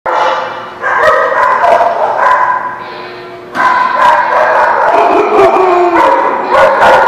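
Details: Several dogs barking together at The Barking Lot on 6/10/17, overlapping harmonic barks in rapid, irregular bursts with a brief quieter lull in the middle.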